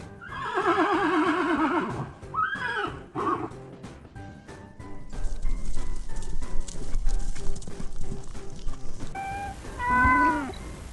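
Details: Horse whinnying, a long quavering neigh with a wavering, tremolo pitch, followed by shorter snorting calls, then galloping hoofbeats with background music and a faint meow near the end.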